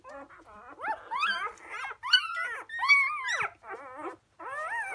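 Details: Newborn Labrador Retriever litter, four days old, out of Emma and Floyd, 1/5/2016; loud, close shrill yelps and rising squeals with wavering whines, several pups crying one after another in a small room.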